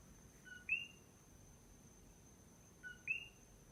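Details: A single common coqui frog at night on the Big Island of Hawaii gives its two-note "co-qui" call, a short low note followed by a higher rising whistle.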